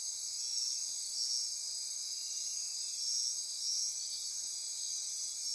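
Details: After dark on the Osa Peninsula, Costa Rica, a dense insect chorus buzzes and trills at high pitch, its upper layer swelling in soft pulses roughly every two to three seconds.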